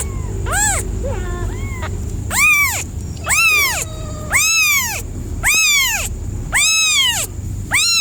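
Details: Pet cat meowing insistently, a few soft short calls then loud long arched meows roughly once a second, with low rumbling background noise and a thin steady high tone.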